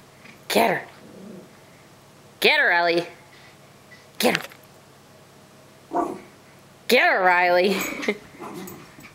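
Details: Puppies playing indoors: short, sharp yips with falling harmonic sweeps, spaced irregularly about every one to two seconds, with a person's voice in between.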